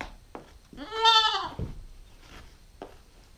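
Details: Nine-week-old female Nubian goat kid giving one wavering, nasal bleat of about half a second, with soft knocks and rustles before and after.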